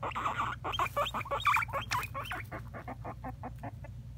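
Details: Two pet guinea pigs playing hide and seek give quick, irregular bursts of short, high squeaks and chirps over a low hum.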